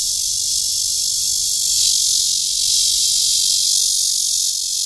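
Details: Cryptotympana holsti cicada calling to attract a mate at Guangming Park on Yuanhua Road, Zhongli, Taiwan, recorded 28 June 2013: a loud, steady, unbroken high-pitched buzz that holds throughout.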